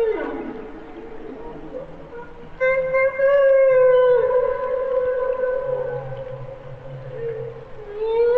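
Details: Part of a minute of humpback whale song: a low descending groan, then long, steady harmonic moans that hold and slowly bend upward, with faint low rumbling units underneath.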